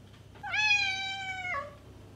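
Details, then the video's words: A single drawn-out cat meow meant to attract a stray cat, steady and bright for about a second before sliding down at the end, against quiet low background hum. "Cat Meows - To Attract Your Stray Cat!"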